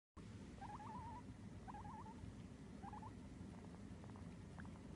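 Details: Hagemaru, a male Abyssinian guinea pig kept as a pet, just waking up: quick, wavering trilled chirps come in three short bursts over the first three seconds, then a few faint clicks over a low background rumble.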